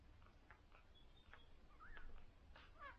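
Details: Newborn cocker spaniel puppies on their first day, one of a litter of six, suckling indoors; faint high squeaks and a short rising whine stand out over soft low rumble and scattered wet clicks.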